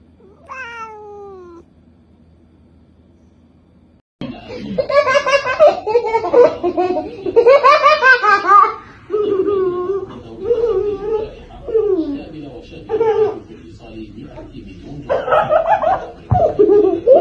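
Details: Domestic cat meowing indoors in a small room. A short falling meow opens the recording. After a pause comes a dense run of varied, wavering, drawn-out meows that rise and fall, mixed with human laughter.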